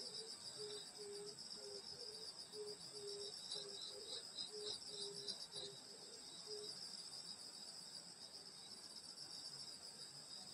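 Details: Summer night in the countryside at a grandmother's house, where insects keep up a steady shrill multi-band chorus; a low rapid pulsed note repeats for the first six seconds, then only the chorus continues.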